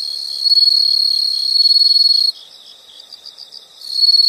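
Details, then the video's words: Calling insects in a soothing nature recording: a loud high trill for two seconds, breaking into softer pulsed chirps, then the loud trill returning at the end. "the sound of insects"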